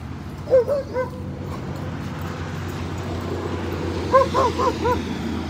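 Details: Siberian Huskies playing and swimming at a lake in a Colorado dog park during a road trip; two bursts of high, short, yelping barks, about four quick notes each, near the start and near the end, over a steady low rumble.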